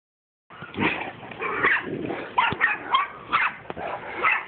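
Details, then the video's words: Mastiffs wrestling together, giving rough, harsh growls and short yips in uneven bursts about once a second, with no other clear sounds. "Mastiffs wraslin"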